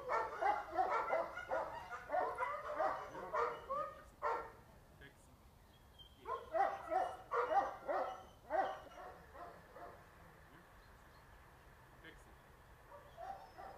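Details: A 2.5-year-old female Boxer in training for socialisation after unruly, overreactive behaviour barks in rapid, uneven bursts for about four seconds. A short pause follows, then a second run of barks that fades into quiet background noise.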